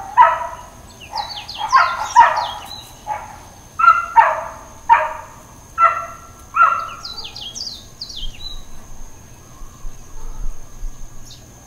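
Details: Intermittent barking from a dog in Hawaiian Paradise Park on Hawaii Island, September 2, 2024: rasping barks about every half second for seven seconds, then quiet. Chirping birds sound throughout, and rural ambience fills the end.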